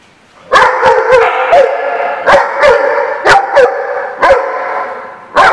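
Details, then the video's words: Dogs barking in a burst of sharp, clipped barks, about ten in five seconds, some doubled in quick pairs, with echo ringing between them and no other clear sounds. "The Barking Lot"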